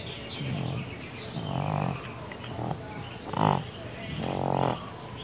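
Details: Awake pet cat Baby, deaf and with neurological and breathing problems, gives pig-like snoring snorts: four rough, buzzy breaths in a loose rhythm, the third short and sharp, the last long and loud.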